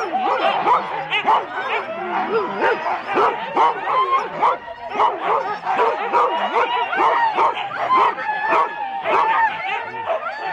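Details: Husky sled teams of four dogs at the start of a race at Rendlesham in January 2016, barking and yipping densely and continuously, many dogs overlapping with sharp repeated barks and occasional whines.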